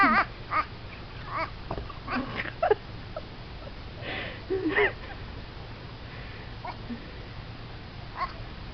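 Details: Baby goat giving strange, duck-like calls: a run of brief, raspy, quacking notes in irregular bursts, some with a wavering tone, thinning out toward the end against constant low hum.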